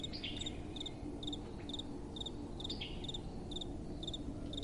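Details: Crickets calling at night in crisp double chirps about every half second, high and bright, with soft wind hissing quietly underneath.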